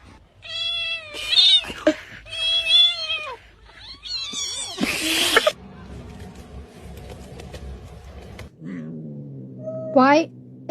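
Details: A cat giving loud, harmonic, wavering yowls in several long bouts, followed by a short higher meow near the end, with a brief noisy burst in the middle.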